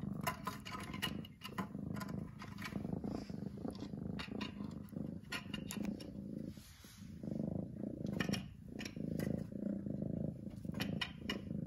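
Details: Loud, rumbling purr from domestic cat Lily, pulsing with each breath and briefly softening before swelling again, accompanied by frequent clicks and rustling sounds.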